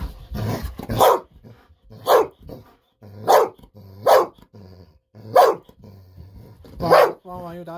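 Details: Golden Retriever Bis barking with joy indoors while a treat of fish sausage is held back until the barking pauses. Six loud, forceful barks roughly a second apart, a faint voice in the background and a short tonal sound at the end.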